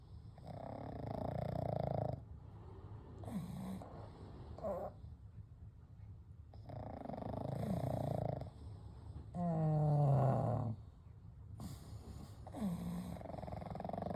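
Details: Kou, Gen and Shun, three pugs asleep together, snore gently through the night: steady alternating inhales and exhales, each roughly one to two seconds, some with a buzzing, vibrating tone.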